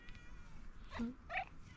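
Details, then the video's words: Female tuxedo cat with a pink nose giving her cute 'mrap' call: two brief chirping meows close together, the first lower and the second higher and brighter, over a faint steady room hum. "Tuxedo cat meows unbelievably cute, she says mrap"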